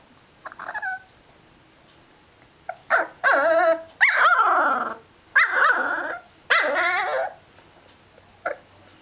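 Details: Liver and white dog talking with long warbling howls and throaty growl-moans, four sustained bursts in quick succession after a brief whine, ending with a short yip.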